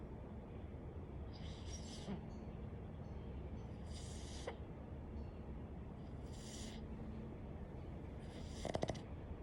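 A Boston terrier snores in soft, hissing, raspy breaths that repeat about every two seconds.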